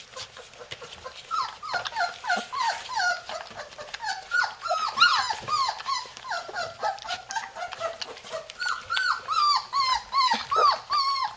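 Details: Three-week-old Labrador Retriever puppies in Florida trying to get out of their house, a chorus of high whimpers and yelps with rising-falling harmonic contours, overlapping and repeated rapidly, several puppies calling at once.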